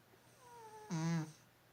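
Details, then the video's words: A cat gives a single short, harsh, buzzy snore about a third of a second long with a strong low rumble. A faint, thin tone glides slightly downward just before it, against a quiet room hum. "고양이 코골이"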